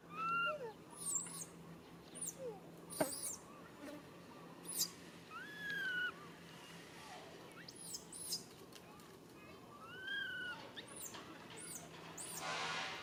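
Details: Young monkey pleading for its mother's help: repeated sharp, arching squeals and curved whining cries of middling pitch spread through the whole recording, with a faint steady hum and a rushing noise at the close.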